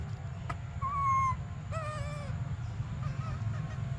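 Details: Baby monkey Briar crying for milk, giving two clear drawn-out tonal wails, the first bending downward and the second slightly wavering, then a fainter short cry, over a low steady rumble and a single sharp click.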